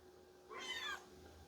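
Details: A single high, thin kitten meow of about half a second, bright and falling slightly at the end, over a faint low hum; the kittens meow for cuddles on seeing a person while their mother feeds them.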